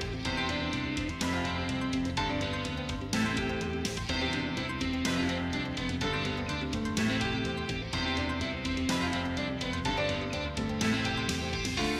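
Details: Steady plucked guitar music with a regular beat and layered instruments plays throughout, with no animal sound.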